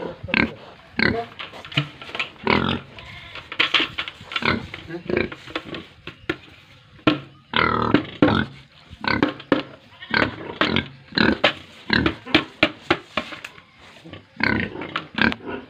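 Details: Farmed pigs and piglets in Tripura, India, producing a dense run of rapid, rough grunts and squeaky oinks, many animals overlapping, pausing briefly around the middle.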